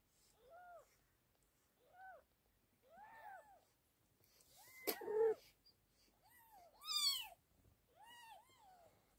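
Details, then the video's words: British Shorthair kittens mewing indoors: short arched meows, rising then falling, repeated every one to two seconds, with several overlapping louder and higher cries near the middle and end, in a quiet room. "British Shorthair Kittens Kot Brytyjski małe kotki"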